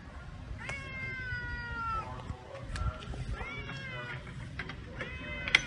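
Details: Cats, two brought to meet a black cat living at a pagoda, greeting each other: three drawn-out, steady-pitched meows, each about a second long, with short pauses, faint clicks and a woman's voice nearby.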